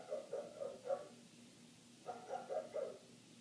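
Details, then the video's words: A neighbour's dog barks continuously for eight minutes, heard from indoors with the windows closed; two quick runs of about four muffled barks each, roughly four per second, with a faint steady hum beneath. "Dog Barking"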